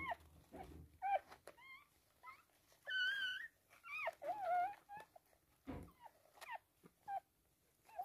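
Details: Toy poodle giving birth to three female puppies in a small room: a rapid string of high, squeaky whimpers and yips, some bending upward, others falling, broken by short pauses and soft handling noises.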